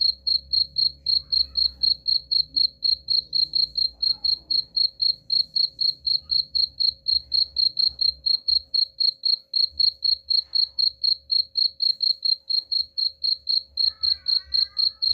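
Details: Cricket chirping played to chase rats away: a long unbroken series of sharp, high pulsed chirps, very even at about four per second, over a low rumble and faint hum, with a brief squeaky sound near the end.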